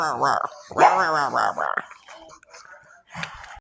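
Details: Pug vocalising with several drawn-out, tonal, arching barks, almost howl-like and slightly growly, packed into the first two seconds, then quieter snorts and a brief low grunt near the end.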